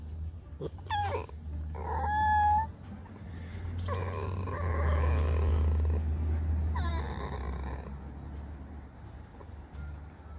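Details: A pet fox gives thin, high whines that bend up and down over a low rumbling background.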